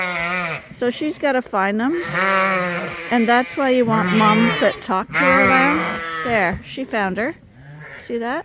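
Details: Suffolk lambs gathered as one large mixed group in a barn at Ewetopia Farms; rapid series of overlapping, tremulous bleats, short calls mixed with longer wavering ones, thinning out toward the end.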